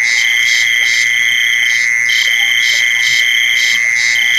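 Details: Crickets calling in a relaxing nature recording: a steady, unbroken high-pitched trill with a brighter, higher pulsed chirping layered over it, about three pulses per second.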